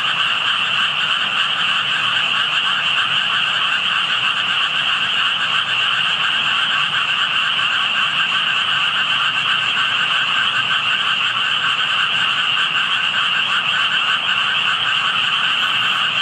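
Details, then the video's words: Frogs heard by a passer-by who found only tadpoles on approaching; steady massed croaking forms an uninterrupted shimmering drone, bright mid and high tones, with a brief faint high chirp near the end. "개구리 소리"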